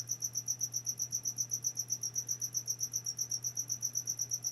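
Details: Unseen cricket chirping inside a room: a long, regular run of rapid high-pitched pulses, unbroken and evenly spaced, with a steady low hum underneath.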